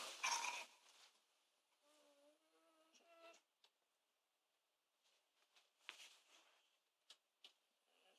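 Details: Two dogs, Keisha, a kelpie cross Labrador, and Mandy, a kelpie, vocalizing early in the morning to wake the household. A short, quiet, tonal whine with stacked harmonics follows a loud noisy burst, then scattered clicks and knocks.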